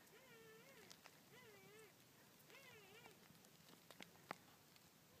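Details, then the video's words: Three faint, wavering puppy whines rise and fall about a second apart against steady background hiss, with a few clicks; Thelma's puppies crying on a property, July 19, 2013, hidden under a car. "Thelma's puppies crying"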